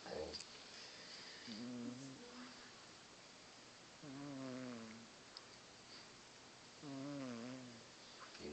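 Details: Sleeping male house cat Piper gives three loud, buzzy snores, each a wavering low rasp under a second long, spaced roughly every two and a half to three seconds; people speak quietly nearby between breaths.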